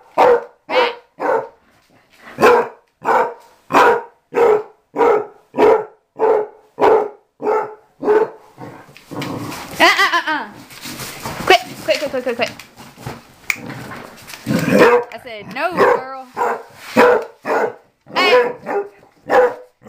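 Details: Repeated sharp barks, roughly two per second, come from Mamie, an outside dog of about six or seven learning to come indoors. A burst of human speech and commotion interrupts before the barking resumes.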